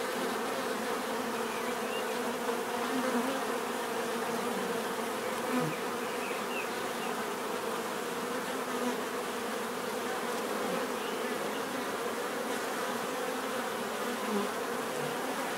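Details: Natural buzzing of many bees forms an even, unbroken drone, with layered hum bands and small swells as single insects fly nearer now and then.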